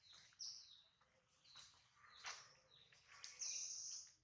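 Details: Hungry baby monkey Adler, missing his mother, cries in the hands of a small monkey: a series of high, thin, wavering squeaks and whimpers rising in intensity toward the end.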